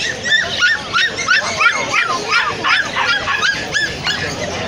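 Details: Golden Retriever puppy of imported bloodline, offered for sale at Galiff Street: high, arched whining yelps with rising-falling pitch, repeated about three times a second in a steady run, with faint voices in the background.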